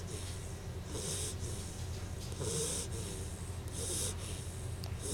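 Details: Bettie, a dog on her first night home, snoring softly: rhythmic breathy snorts with hissy bursts roughly every second over a steady low hum, quiet and close.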